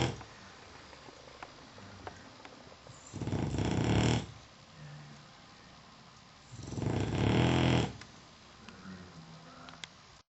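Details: Zeke the dog rips out heavy snores while Sumner sleeps nearby indoors; two long, grating snores about three and a half seconds apart, each over a second long, with soft breathing in between.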